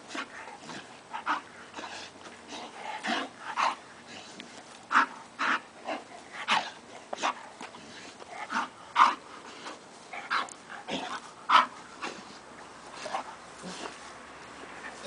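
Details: A pet bull terrier biting at water, giving a run of short, sharp splashing snaps and bursts, irregular and roughly every two to three seconds, with brief faint whimper-like tones between them.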